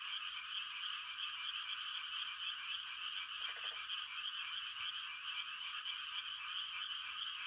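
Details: Frogs calling on a quiet country night in the rice-planting season in Korea, a mating chorus: a dense, continuous trilling drone of many callers blended into one steady high wash, with no single voice standing out.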